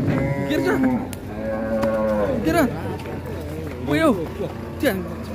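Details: A Qurban cow at Siyono Harjo market in Indonesia, agitated after coming off a truck, gives a long, flat, harmonic moo at the start, followed by short shouts and exclamations from onlookers amid crowd noise.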